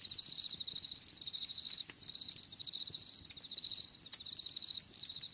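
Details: Cricket song in high, shimmering pulsed phrases that break off briefly about every second before starting again, with a faint low rumble beneath.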